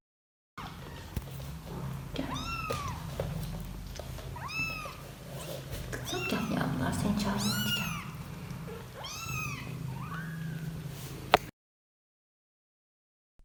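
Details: Kittens call their mother with short, high, arching mews while a voice speaks beneath; the calls are described as warm and instinctive, not panic or pain, meaning "I'm here, where are you?"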